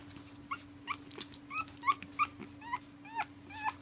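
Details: Pug called Prince Harry, one of several dogs protesting bedtime indoors at night, lets out about ten high, bending whimpering whines in quick succession, each rising then dropping, over a steady low electrical hum.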